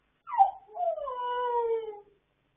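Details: Domestic dogs howling late at night, recorded on 26 October 2022: a sharp rising-falling onset, then one long, smooth, slowly descending howl with clear harmonics, lasting about one and a half seconds.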